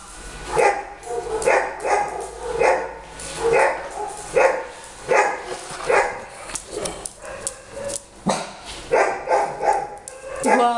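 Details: Dog barking in a steady run of sharp, harmonic-rich barks, roughly one each second, about a dozen over the stretch, with faint voices in the background.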